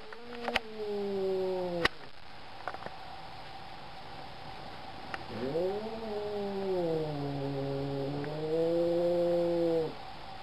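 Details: Black cat giving long, drawn-out yowling meows, low and wavering, the first cut off after about two seconds, then a longer rising-and-falling wail later on, with a few sharp clicks and knocks in between.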